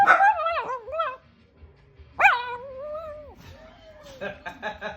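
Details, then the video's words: Small dog making unusual vocal sounds: wavering, yodel-like whines that rise and fall in short bursts, then a long sliding moan fading out, followed by faint scratchy clicking noises. "LITTLE DOG MAKES CRAZY SOUNDS!!!!"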